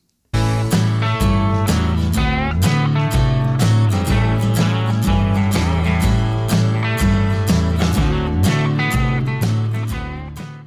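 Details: Loud strummed acoustic guitar music in a country style plays with a steady beat, and no animal voice is heard.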